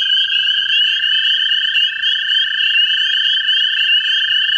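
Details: In a central Ohio vernal pool, American toads calling for mates produce an unbroken, even, high-pitched musical trill, with two or more trilling voices layered at different pitches.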